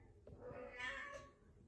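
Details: A single domestic cat meow, a drawn-out wavering cry that swells to its loudest midway and then fades, heard indoors.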